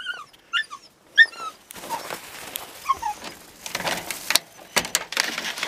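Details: Sobol, a male stud dog excited by a visiting female, Taina, gives sharp high whimpering yelps in quick bursts at the start, then a couple of softer squeaks amid rustling and scuffling noise.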